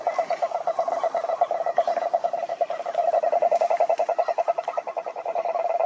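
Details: Cururu toads (Rhinella marina) at a lake in Brazil's Atlantic Forest give a low, rapidly pulsed trill, the beats swelling and fading in strength, with a quieter second trill overlapping near the end.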